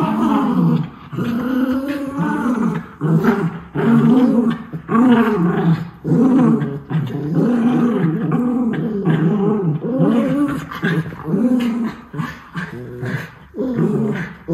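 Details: Miniature Schnauzer brothers, white, in a spontaneous play outburst in Aroostook County, Maine, October 2021: loud, harmonic, moaning growls repeated in rhythmic pulses about every second, continuous rough rumbling throughout.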